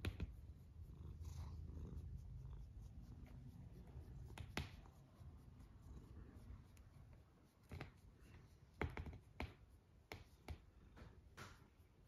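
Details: Sleeping cat snoring steadily in a small indoor room, low rumbling breaths running throughout, interrupted by sharp clicks and taps near the middle and end.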